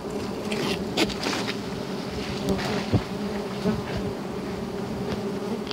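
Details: Giant honey bees (Apis dorsata) swarming during wild honey hunting, a loud close droning buzz with rustling and scraping bursts and a few sharp knocks.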